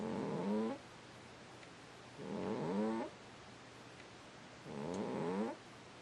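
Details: Cat snoring in its sleep, three evenly spaced raspy snores about every two and a half seconds, each a buzzy, slightly rising drawn breath lasting under a second, with quiet gaps between.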